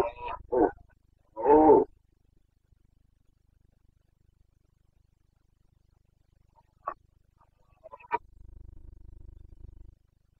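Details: Roaring Carpathian stag in the Bucovina mountains of Romania during the breeding season, 29 September 2022: three quick rough bellows at the start, then long silence broken by two faint clicks and a low rustling.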